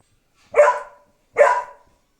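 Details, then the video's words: A dog barking at its own reflection in a mirror; two sharp, loud single barks about 0.8 seconds apart, each fading quickly, against an otherwise silent room. "looking himself in the mirror and barking"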